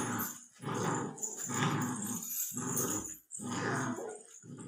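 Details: Labrador Retriever puppy, 64 days old, giving rough, rumbling growls in six bursts of about half a second to a second each, separated by short pauses, with a steady low hiss behind.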